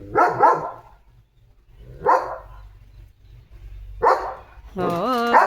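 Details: Guarding his family's gate, German Shepherd Leo gives three isolated barks separated by pauses of nearly two seconds, then a drawn-out, wavering whining bark, with a person hushing him nearby.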